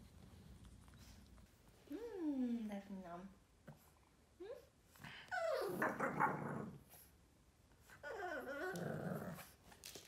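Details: Yoda, a 4-month-old Boston terrier puppy, throwing a tantrum indoors in a small room: drawn-out whining, falling whines and gruff growly bursts in three bouts, with a person saying "Nem, Yoda nem" nearby.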